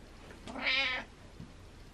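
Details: Single hungry house cat calling from downstairs, one bright, nasal meow lasting about half a second, swelling then fading, in a quiet room.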